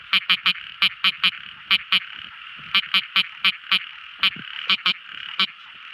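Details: At night a tiny frog gives loud, crisp clicking notes, repeated about three or four per second in uneven bursts, over a softer continuous frog chorus.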